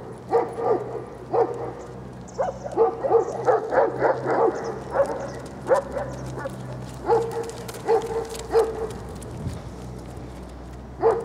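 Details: Young male Central Asian Shepherd Dog (alabai) named Velikiy Voin Admiral giving a series of short, fairly high barks and yelps, about a dozen irregular bursts over eleven seconds, with a steady low hum beneath.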